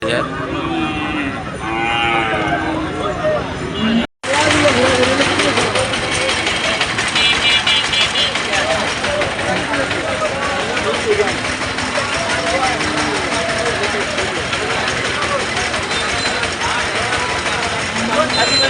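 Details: Cattle at the Friday Hasukhali cattle market in 2025: a drawn-out, harmonic lowing moo in the first few seconds, then a steady din of crowd chatter, men talking and passing vehicles.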